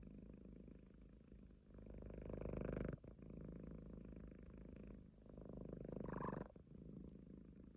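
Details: A sleeping Munchkin cat purrs steadily in a low, rough, pulsing rumble, with breaths swelling louder and then easing off in waves of roughly two to three seconds.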